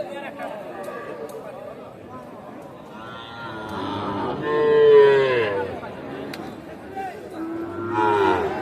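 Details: Sahiwal bull calves at the Aftabganj cattle market in Nawabganj, Dinajpur, on 8 October 2024: a drawn-out, wavering bawl swells loudly midway, with a shorter one near the end, over steady murmur of market crowd voices.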